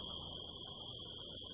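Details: Desert crickets in California on a harvest-moon night, September 25, 2018, recorded from a rooftop: one continuous piercing trill at an unchanging pitch, with faint low rumble underneath.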